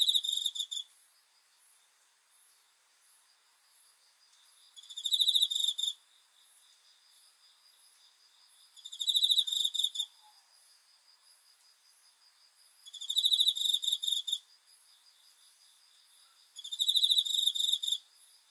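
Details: Night-time cricket producing five shrill, rapidly pulsed chirp bursts, each under a second long, repeating roughly every four seconds over a quiet, faintly buzzing background.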